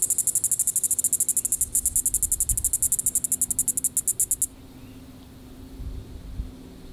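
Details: Diceroprocta vitripennis cicada calling in the evening at Sand Hills State Park, Reno County, Kansas, on July 20, 2014: a rapid train of high, raspy pulses, about seven per second, that stops abruptly after four and a half seconds, leaving faint low rumble.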